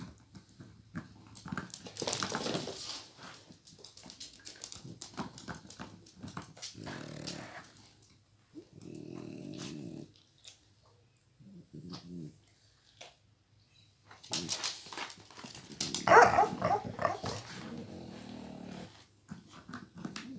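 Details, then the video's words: Flash, a one-year-old Miniature Pinscher, tussles indoors over a toy with Hanna, a nearly 12-year-old Pitbull with degenerative disc disease. Low rumbling growls come in bursts around the middle, with rustling play noises and louder scuffles before and after. "Pincher mini, robando juguete a Pitbull!!"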